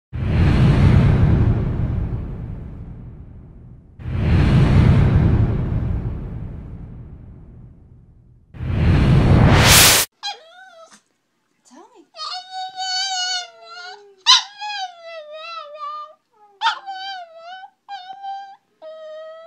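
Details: Pet Chihuahua 'talking' with a wavering, tuneful howl, as if saying I love you to its owner; loud whooshing noise bursts fill the first half, then drawn-out sliding whines and yodel-like rises and falls follow.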